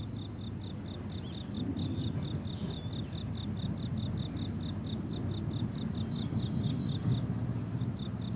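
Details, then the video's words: On a summer meadow in bloom, crickets keep up quick, high, pulsing chirps in overlapping rows, while a prominent low rumbling background noise runs underneath the whole stretch. "Relaxing Cricket Sounds on a Summer Meadow"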